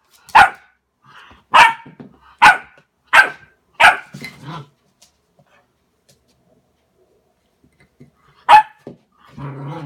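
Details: Border Collie barking at its reflection in a mirror inside a small room: a run of five loud, sharp barks about a second apart, a pause of quiet, then one more bark followed by low rumbling noise.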